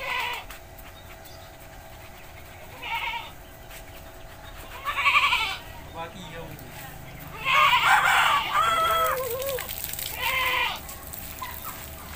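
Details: Village goat being bathed gives a series of wavering, quavering bleats, four separate outbursts spread over about twelve seconds, with people talking between them and a steady background hum.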